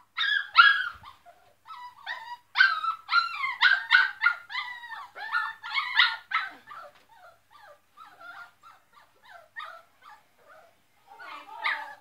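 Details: Dogs bark loudly in rapid bursts of short, high yipping barks, several per second, with brief quiet gaps between volleys and a final cluster at the end.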